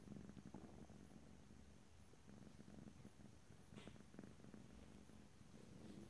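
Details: Quiet cat purr recorded ear to ear in stereo without talking: a low, fluttering rumble pulsing steadily, with faint rustling noises.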